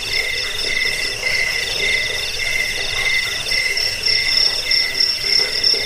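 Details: Crickets, called jangkik, in a sound meant for repelling rats and as bird training material: dense high-pitched pulsing chirps from more than one insect, continuous and slightly uneven, swelling louder toward the end.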